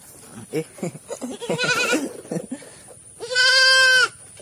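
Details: A goat calls during a health check. Indoor speech and handling noises come first, then one loud, steady bleat of about a second, rich in harmonics, ends the moment.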